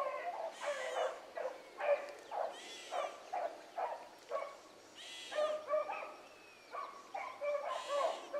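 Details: Morning rabbit chase by three hound pups, Ringo, Mingo and Choco, running like seasoned hounds; a steady series of short yelping bays roughly every half second, overlapping voices from several pups.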